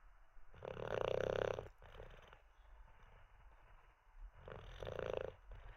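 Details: Olde English Bulldogge named Teddy sleeping after treats and a wee, snoring: two long rasping, rattling inhalations, each about a second, separated by a quieter breathing pause.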